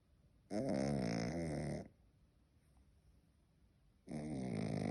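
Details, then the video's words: Pet dog snoring indoors: two long, rough, harmonic-rich snores about 1.3 seconds and 1 second long, separated by a quiet pause of over two seconds. "Собачий храп"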